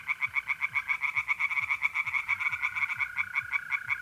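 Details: Pond tree frogs calling by night in mid-April, north-east Italy: quick, harsh pulsed notes run steadily, about four to five per second, and a mole cricket's even trill joins in over the second half.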